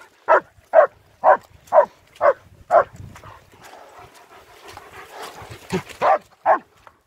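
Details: Nico and Zeeva, two German Shepherds, out on a winter wander in Hawick, Scotland, filmed on an S23 Ultra: six evenly spaced barks about every half second, a noisy stretch of movement, then three more barks.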